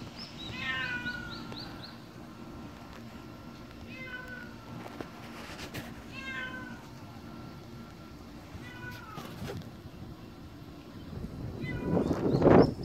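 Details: Black stray cat named Kkamangi, healthy despite the summer heat, gives a run of short falling meows in quick succession, then several more spaced meows; faint background noise and a louder rustling burst near the end.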